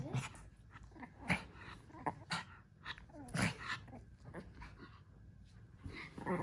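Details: Several Japanese Chin dogs playing together indoors on a tower of cushions. Short sharp yips and growly bursts come at irregular intervals, mixed with soft rustling and thumps.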